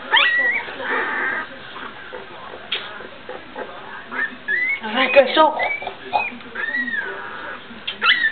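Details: Young dog pups from the 2009 Guardian and Skye litter taking their first steps and giving early barks: thin, high rising and falling whines and short yips, scattered irregularly, with people talking throughout.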